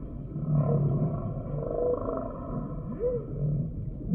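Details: Humpback whale singing in low moans broken by short arching whoops that rise and fall in pitch, laid over a steady deep rumble with faint higher drones.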